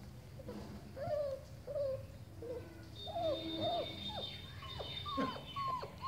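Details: One-month-old German Shepherd puppy walking backward; a string of thin, high, wavering whimpers and squeaks, some rising then falling, coming every second or so, with a faint steady low hum underneath.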